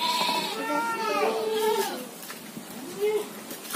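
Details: Goats at a pen beside rice fields give long wavering harmonic bleats, one after another with the last rising and falling, while a man talks over them.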